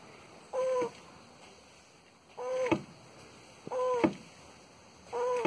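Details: Tortoise mating in Porto Alegre, Brazil, January 2021; short nasal, tonal squeaking calls, each under half a second, repeated roughly every one and a half seconds, four in all.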